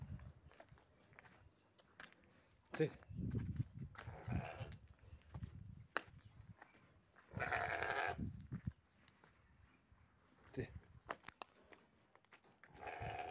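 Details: Domestic sheep, one of four young sheep offered for Eid in the Doukkala region of Morocco, giving several loud, harsh bleats spaced a few seconds apart, with a man speaking in Arabic and shuffling hooves throughout.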